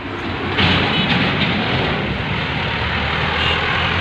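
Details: A steady, loud vehicle engine rumble fills the recording, with faint music and no animal voices.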